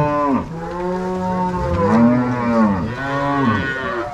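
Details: Angus-Nelore cross cow herd moving from corral to pasture with cowboys and dogs on a Paraná farm in March 2022; rich harmonic moos overlap one another, one swelling and falling in pitch, others steady and droning.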